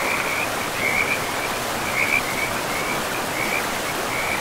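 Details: Frogs calling beside a river in a pristine forest: short, rasping trilled bursts repeat roughly every half second to a second over steady broadband rushing water.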